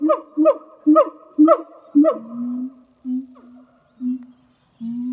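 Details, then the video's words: A pair of zoo siamang gibbons at Zoo de La Fleche, hot summer morning of 6 August 2018: five sharp harmonic barks about every half second, followed by deep, steady booming notes separated by short pauses. "Singing Siamang Gibbons"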